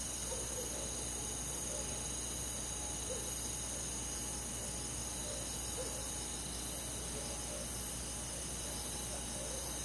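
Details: Crickets trilling on a summer night among forest insects, a constant high buzzing chorus, with brief lower chirps repeating irregularly and a faint low hum.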